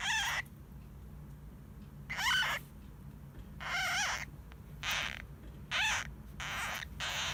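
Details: Hamuzo, a pet hamster, vocalizing while seemingly half asleep, possibly snoring; six rasping, wavering squeals come roughly every second over a steady low indoor hum.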